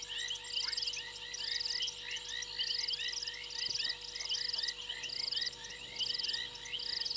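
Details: Frogs gathered on a fallen tree limb at Djuma Game Reserve's Gowrie dam, South Africa, at 02:07 on 28 January 2022. Short pulsed trills recur about once a second among a mass of quick high chirps, with no other clear sounds.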